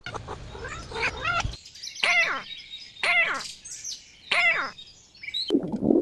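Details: Little kittens giving small, high meows, four clear calls each with a quick rise and fall, spaced about a second apart, after a muffled rustling start and ending in a soft thump.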